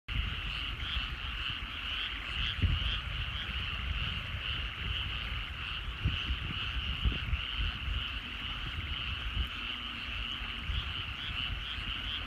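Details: Frogs calling from rice paddies in the countryside at sunset: a dense, steady chorus of overlapping trills forms a continuous buzzing wash, with low rumbling background noise and occasional soft thumps.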